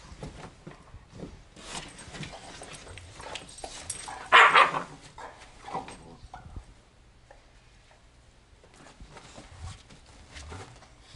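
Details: German Shorthaired Pointers, a smaller male against a larger female, scrapping in a living room; scattered scuffles and low growly noises, one sharp loud bark midway, then quieter rustling.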